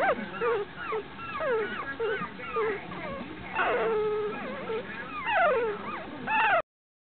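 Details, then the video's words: Several puppies chirping: a busy overlapping stream of short, high squeaks, many bending up then down in pitch, some brief slurred whines, continuing throughout with no pause. "Puppy Chirping"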